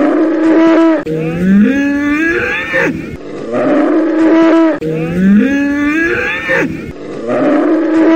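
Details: Bull bellowing; a loud, drawn-out moo that starts low, rises, then holds a strained, harmonic-rich tone, repeated twice about every four seconds in a looped recording.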